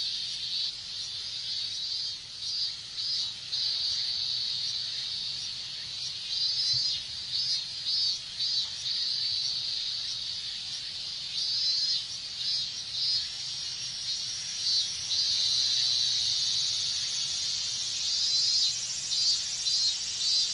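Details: Summer in Japan, minmin cicadas in full chorus under the heat: rapid, evenly spaced rasping pulses repeat for many seconds, while behind them a continuous high drone slowly climbs in pitch toward the end.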